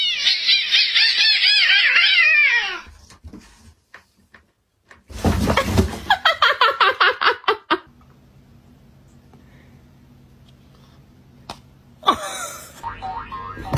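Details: Cats fighting indoors; a long wavering yowl at the start, then a burst of rapid repeated harsh cries about two per second, followed by quiet hum and a noisy scuffle at the end.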